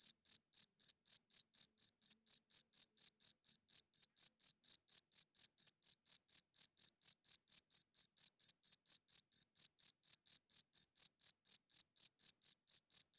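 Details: Cricket heard loudly at night, giving a long unbroken series of sharp high chirps, regular and rapid, around four each second, against silence.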